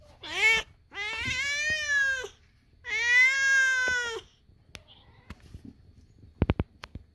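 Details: Kitten screaming indoors: one short rising meow followed by two long, loud, steady drawn-out meows, each about a second, then quiet with a few sharp taps.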